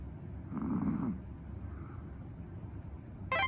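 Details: Pet dog snoring at home, said to snore as loudly as a person: one rough, low, rasping snore lasting about half a second, then quiet breathing hiss and a brief sharp noise at the end.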